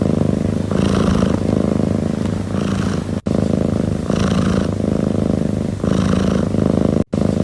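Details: One domestic cat purring steadily and continuously, with a low rumbling throb that swells and eases in rhythm with its breathing, each cycle about two seconds long. Two brief silent cuts interrupt the sound.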